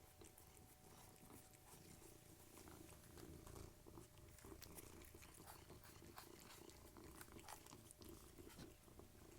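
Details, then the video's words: Cat purring while eating, one of three cats fed together; a steady low rumbling purr runs throughout, overlaid by frequent soft crunching and clicking bites of food. "Cats Eating and Purring"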